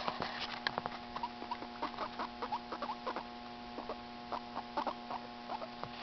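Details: Two pet guinea pigs, FuzzyWuzzy and Walter, getting to know each other while Walter cleans his fur; short squeaky chirps repeat in quick irregular bursts over a steady electrical hum and faint pattering.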